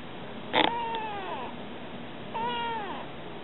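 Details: Stray kitten talking to people: two clear, tonal meows, each rising then falling and ending in a downward slide, about two seconds apart, with a sharp click before the first and a faint steady hum underneath.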